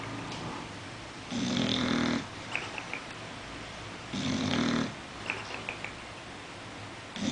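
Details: Bulldog asleep, snoring in two long rasping breaths with a steady low drone, each trailed by a few faint clicks, quiet room between.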